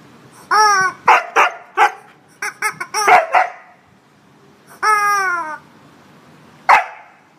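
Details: Husky named Indi fighting a chicken toy that tries to steal her blanket indoors: a falling howl-like yowl, then a rapid run of short barks and yips, another long wavering yowl, and a final sharp bark.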